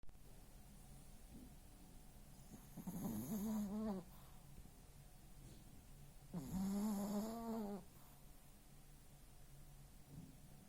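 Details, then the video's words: Small female toy terrier asleep, snoring very loudly indoors: two drawn-out, nasal, humming snores about three and a half seconds apart, each lasting over a second, with a low steady drone between them. "Собака Той Терьер Феня/Храпит, как мужик"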